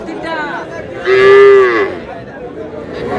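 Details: Small bull and heifer calves bought by a farmer at a Madaripur cattle market in Bangladesh; one clear, steady moo lasting under a second, rich in harmonics, set against crowd chatter and shouted prices.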